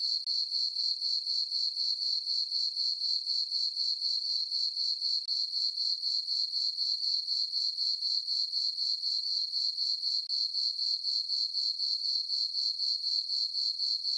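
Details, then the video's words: Night chorus of crickets in a farm meadow on a summer evening under a full moon, a sharp, sustained high trill throbbing evenly about four times each second with no other animals or voices. "Cricket chirping sounds for sleeping"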